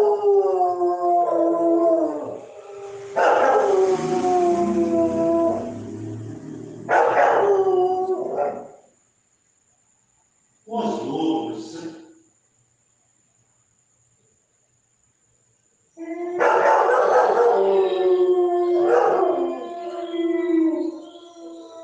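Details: German Shepherd dog giving a series of howls with yipping breaks, wavering harmonic wails in bursts, a short call mid-way, a pause, then more howling.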